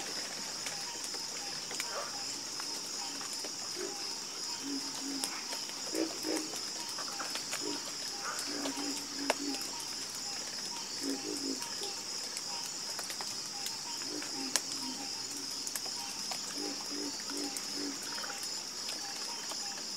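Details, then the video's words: Frogs croak together in a calm chorus. Clusters of short, low, pulsed croaks come in uneven groups every few seconds over a constant high-pitched buzzing background. "Calming Sound Of Harmonious Frog Croaking"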